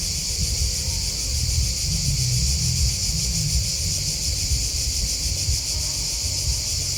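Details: Crickets chirping in a steady, dense chorus of rapid, shimmering high-pitched pulses that never pause, layered over a constant low rumble like wind or distant traffic.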